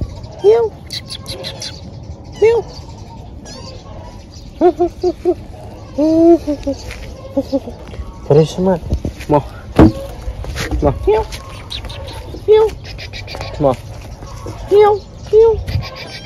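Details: Crying thin kitten in need of help, mewing again and again in short, thin, even-pitched calls every second or two, sometimes in quick pairs, with low background noise between.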